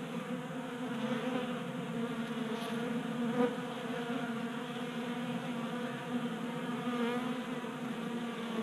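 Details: Honey bees feeding at a 3D-printed feeder on a workbench in Colorado during a warm January; an unbroken, many-layered hum of wings, gently pulsing, with a couple of brief louder buzzes from bees passing nearby.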